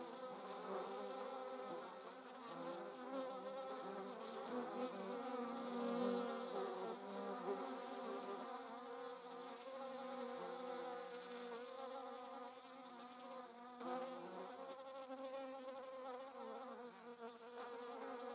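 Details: German wasps hauling prey make an unbroken, low buzzing drone of stacked harmonic tones that shift slightly in pitch as they move, louder around six seconds.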